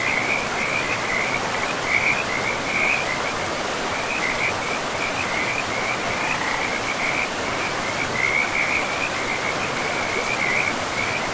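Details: By a river deep in a pristine forest, frogs keep up a fast, high-pitched pulsing croak, louder in bursts, beneath and within the constant wash of moving water.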